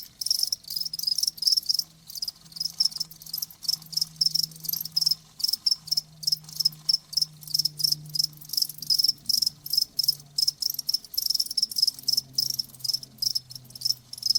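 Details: Crickets chirp in dense, rapid pulses at a high pitch, the trills running almost without pause and broken by brief gaps. A faint low steady hum runs beneath them throughout.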